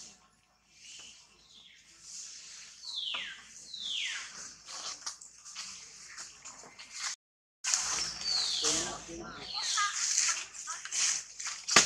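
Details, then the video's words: Baby monkey Tobais crying in a tantrum while handled roughly by its mother Toma: shrill squeals that slide steeply downward, repeated in uneven bursts over rustling and splashing noise, with a brief silent gap midway. "Crazy mom Toma abuse on baby Tobais cry tantrum"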